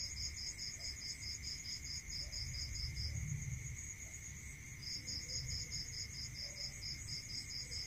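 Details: Rural night chorus of crickets: trains of fast, evenly spaced chirps broken by a brief silence near the middle, riding on a continuous high-pitched drone and a second steady tone, with low rumbling underneath.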